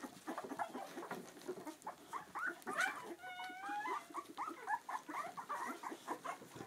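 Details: Clumber Spaniel puppies, two weeks old, beside their mother: overlapping squeaky grunts and chirps, then a clear drawn-out whine that wavers briefly before the busy squeaking resumes.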